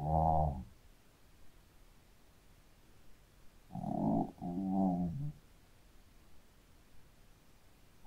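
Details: Sleeping Shih Tzu dog snoring loudly: a short rasping snore at the start, then two rumbling, harmonic snores close together around the middle, separated by quiet breathing pauses in a small quiet room.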